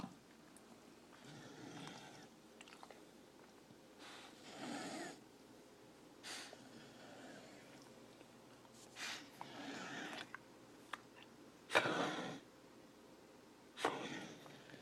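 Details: A Corgi coughing indoors: short, breathy, harsh bursts in irregular bouts, with quiet pauses of a second or more between them, the loudest near the end.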